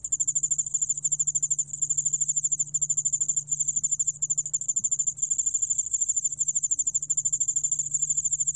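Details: ['Korean cricket species, the yeoul-allak-bangul-beolle, recorded in 2020 for the National Institute of Biological Resources. It gives a continuous high-pitched pulsed trill, quick even ticks with only tiny gaps, over a soft constant low hum.']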